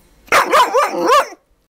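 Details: New puppy letting out one drawn-out, high-pitched yappy bark that wobbles up and down in pitch, a squealing, excited sound lasting about a second indoors.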